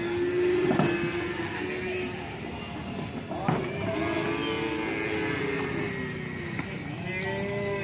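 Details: Aggressive, raging cow unsettling its owner, giving long, steady low moos that sag slightly in pitch, with voices and a faint musical backdrop underneath.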